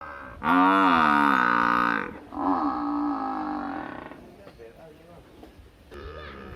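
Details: Village buffalo mooing: a loud drawn-out harmonic bellow of about one and a half seconds, then a second softer, lower moo, with faint rustling afterwards and a brief further call near the end.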